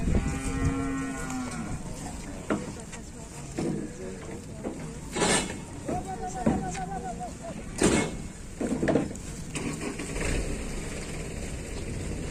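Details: Unfed cow, reportedly sulking and angry while taken to market, gives a long, low, richly harmonic moo lasting over a second. Later come shorter, higher moos, with knocks, clattering and a few voices in between.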